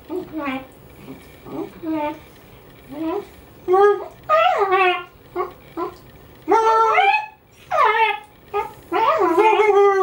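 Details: Pet dog singing along with its owner's howling: short wavering howls and yips in quick separate bursts, growing longer and louder toward the end, with some human voice mixed in indoors.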